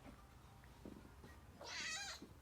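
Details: Pet kitten begging for chicken as it is cut up indoors: a short faint low murmur, then a loud, bright, drawn-out meow of about half a second near the end.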